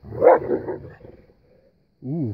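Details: Boerboels Jade and Odi play-fighting with their son Crusher in snow, 2016: a rough, throaty growling burst for about a second, then a brief whining, wavering yelp after a pause.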